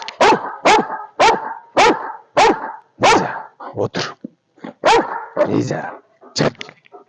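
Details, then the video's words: Belgian Malinois named Alfa barking in a fast, even series of sharp, loud barks about every half second, six in a row, followed by a looser run of shorter, rougher barks and bursts. "Малинуа. Бельгийская овчарка по кличке Альфа."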